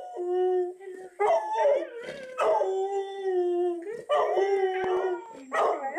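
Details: Ike, a three-year-old black Labrador Retriever, howls wolf-like at talking huskies on TV: long sustained tones with wavering, sliding pitch in drawn-out phrases separated by brief pauses.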